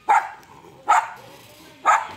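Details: Pomeranian and Lhasa apso fighting, the toy-breed dogs giving three sharp, short barks about one second apart, each a bright burst, with quiet gaps between.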